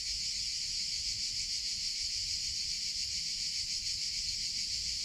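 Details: In summer, cicadas produce a loud, even, high buzzing that pulses faintly but never stops across the whole stretch, over quiet low background noise.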